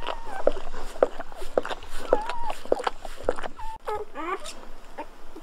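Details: Newborn Golden Retriever puppies make short repeated squeaks roughly every half second, then a few quick rising yelps near the end, over light rustling.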